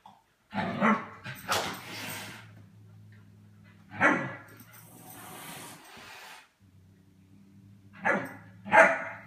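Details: German Shepherd puppy playing with cats indoors, giving short harsh barks and growly yaps in bursts near 1, 2, 4 and 8 to 9 seconds over a steady low electrical hum.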